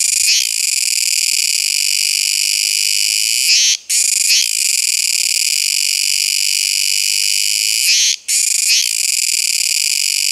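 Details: Droning song of the Kuroiwa tsukutsuku cicada: an unbroken shrill, harmonic-rich buzz with two sudden short pauses, each framed by brief wavering pulses before the drone steadies again.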